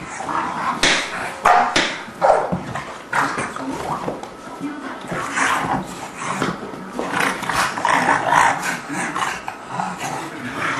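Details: English Bulldog romping with a three-month-old English Mastiff pup named Forrest; rough play brings short, scrappy bursts of growling and gruff vocal noise, with thumps and scuffles, while people chat and laugh over the dogs throughout.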